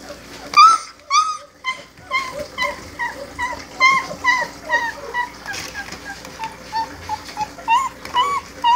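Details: Four-week-old Great Dane puppies whimpering and yipping: short, high, bent whines repeated in quick succession, overlapping, with a couple of louder rising yelps near the start and a faint steady hum underneath.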